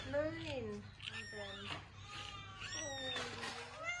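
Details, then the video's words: Kittens mewing indoors among people's voices; drawn-out, wavering mews rise and fall, some overlapping, over a low background hum. "Funny Cats and Kittens Meowing Compilation"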